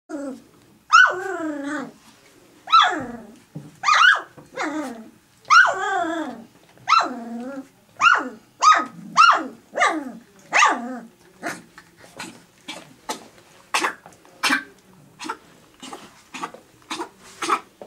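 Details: Three-week-old puppies whimper while fighting over their mother's milk. There is a run of high, wavering whines, each falling in pitch, at roughly one-second intervals for about eleven seconds. Softer clicks and short squeaks follow.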